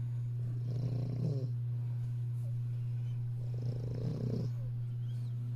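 An English Bulldog puppy snores in slow, raspy breaths about every three seconds over a steady low hum.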